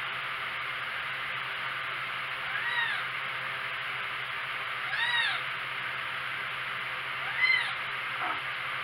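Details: Kittens four weeks old giving three soft, high-pitched meows with arched, bending pitch, separated by gaps of two seconds or more, against a constant background hiss and low hum.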